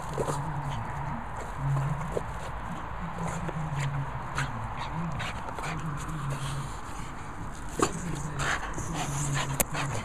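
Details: Two French Bulldogs, Reggie and Ronnie, larking around together; low, throaty grunting and rumbling snorts run steadily through the clip, with scattered scuffling clicks and brief bumps from their play.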